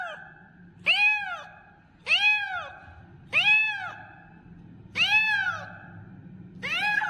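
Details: Loudly calling kitten giving five bright, arched meows, each rising and dipping in pitch, roughly one every one to two seconds, over a faint low background hum.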